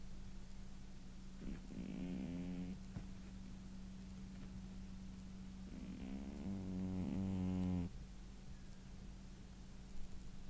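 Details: Male house cat snoring in deep sleep after tiring himself out running around: two drawn-out, rasping, buzzy snores with layered harmonics, the first about a second long, the second about two seconds, over a steady low hum.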